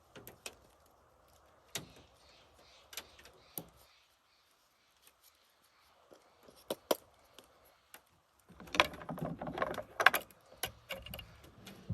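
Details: Sharp clinks, knocks and rustling from outdoor clearing work, with no animal voice heard. A burst of busier scraping and handling noise comes near the end.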